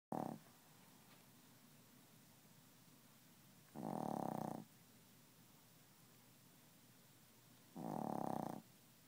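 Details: Chihuahua snoring while asleep indoors, refusing to wake; broad rasping snores spaced about four seconds apart, three heard, with quiet room hiss between breaths.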